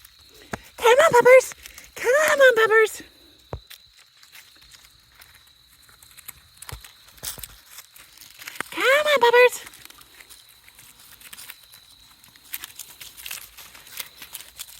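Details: Domino's Australian Shepherd x Border Collie puppies, 5.5 weeks old, outdoors: three loud, arched, whining yelps near the start and again around nine seconds, each a rising-then-falling cry, amid footsteps, crinkling and quiet rustling.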